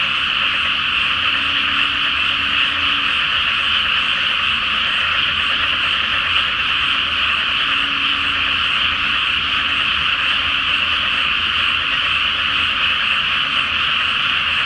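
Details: Great chorus of frogs in a pre-planting flooded rice paddy at night, full moon above; steady massed croaking throughout, with a faint low hum drifting in and out beneath.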